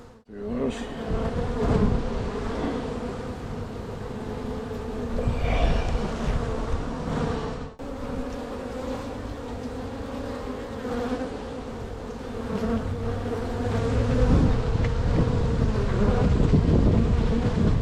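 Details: Honey bee hive in spring, opened to locate queen cells before a split to prevent swarming; continuous low hum with handling knocks and a sharp break midway, buzz swelling toward the end.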